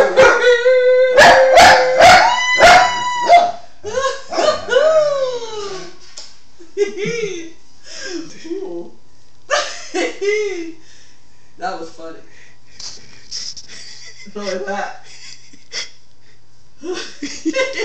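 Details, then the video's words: Singing Schnauzer on an Android phone recording: a loud howl punctuated by sharp yelps opens, followed by broken, sliding whines and shorter howls separated by growing pauses, fading quieter toward the end. "The singing Schnauzer."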